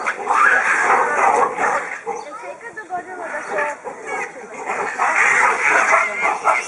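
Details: Baboons in an aggressive fight between males over females of a harem group. Harsh, wavering screeches come in rough bursts that dip mid-clip and then swell again, with layered voices overlapping throughout.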